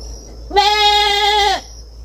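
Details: Young goat on a farm giving a single long, steady bleat of about one second, clear and harmonic-rich, with a faint high-pitched hum in the background.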